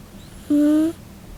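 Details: Scottish Fold cat called Nano-chan snoring indoors: a single soft whistled tone lasting under half a second, steady and slightly rising in pitch, with faint overtones above it in a quiet room.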